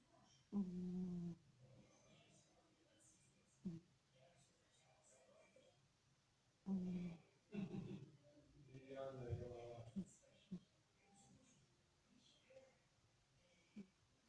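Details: Sleeping house cat snoring in a small room, low throaty rasping breaths recurring every few seconds, while a person speaks softly nearby between the snores.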